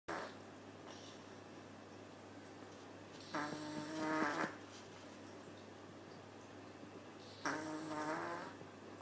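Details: Maple, a cat sleeping at the Nyandoberu cat cafe, snores again: two drawn-out, buzzy, harmonic snores about four seconds apart, each lasting roughly a second, in a quiet indoor room.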